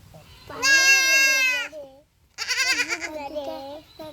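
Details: Young goat undergoing castration cries out with a long, loud, quavering bleat of about a second, then a shorter strained bleat merging into people talking nearby.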